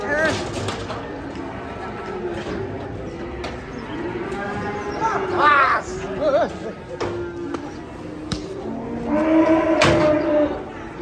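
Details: Cattle being unloaded from a truck: long, low, drawn-out moos, the loudest near the end, heard through background music, sharp knocks and men talking.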